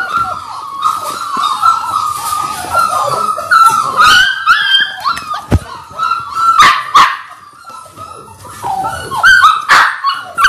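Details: Six Labrador Retriever puppies, six weeks old, on a live puppy cam: an unbroken chorus of thin, wavering whines from several pups, broken by a few sharp yips and clicks.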